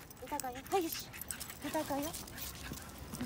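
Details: Pembroke Welsh Corgi puppy, a female born in July 2015, asking to play, whines in thin, high, wavering squeals, two short bursts a second apart, over soft rustling and household noise.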